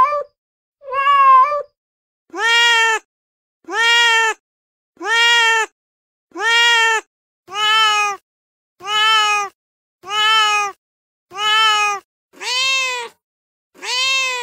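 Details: Repeated domestic cat meowing to attract cats: after two brief opening calls, eleven steady, evenly spaced meows arrive roughly every 1.2 seconds, each bright, harmonic and slightly arched in pitch.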